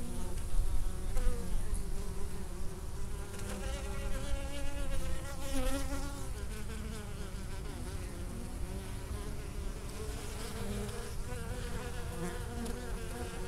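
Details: Foraging honey bees at a Minnesota hive in unseasonably warm November weather, carrying orange pollen home for winter stores; a steady, rich hum of many wings with shifting, wavy overtones over a constant low rumble.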